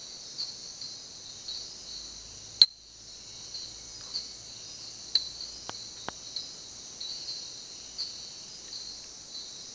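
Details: Sharp, loud, metallic 'tink' notes from a common tink frog (Eleutherodactylus diastema), typical of the jungle at night, ring out over a steady insect drone at a jungle lodge.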